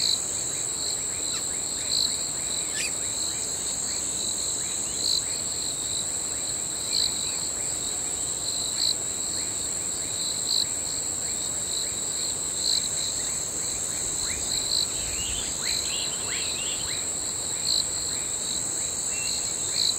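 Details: Crickets trill steadily at night in high, continuous tones, with faint pulsed chirps repeating about every second and a half.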